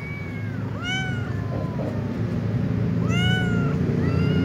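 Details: A ginger tom cat courting a white female: several short, bending meows, some rising then falling, separated by pauses, against a steady low hum of background noise.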